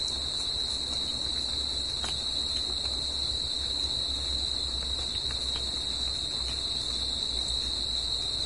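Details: Unbroken shrill chirring of crickets singing at night in nature, pitch and loudness steady across the whole stretch, with a quieter upper band, a few short clicks, and low background rumble.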